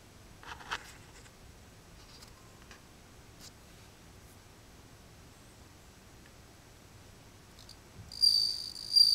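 A Japanese bell cricket gives a high, pure, ringing trill near the end after a quiet stretch.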